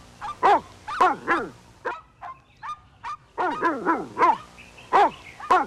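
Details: Puppies playing with their mother dog outdoors in a toy battle, giving quick, high yipping barks that fall in pitch, in bursts of two or three with short pauses, some softer whimpering notes between.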